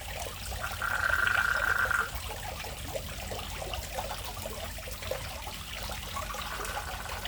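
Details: Frog calling from a fish pond before a house: one loud, level trill of about a second and a half, then a fainter distant trill near the end, with trickling water throughout.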